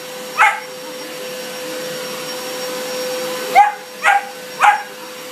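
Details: Young German Shepherd barking at a running vacuum cleaner it does not like: one loud bark, a pause of about three seconds under the droning machine, then three rapid barks in close succession.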